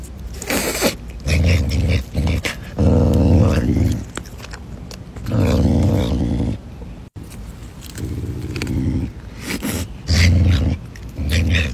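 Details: Caracal named Pumba growling while eating chicken: low, rough, rumbling growls in bursts of one to two seconds separated by short pauses, with some crunching and handling noise between them.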